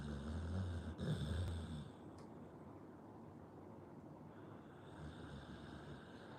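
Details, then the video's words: Pit Bull dog asleep, giving a deep rhythmic rumbling snore for roughly two seconds before settling into soft, quiet breathing. "Pitbull dog snoring"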